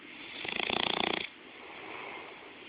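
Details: Bloodhound asleep and snoring close up: one buzzy, rapidly pulsed rattle of under a second on the in-breath, then a quieter, smooth exhale.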